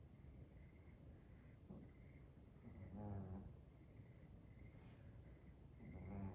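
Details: A sleeping dog, described as a 'seal dog', snoring: low, rough, harmonic snorts near three and six seconds, each a brief buzzy breath, over a steady faint room hum.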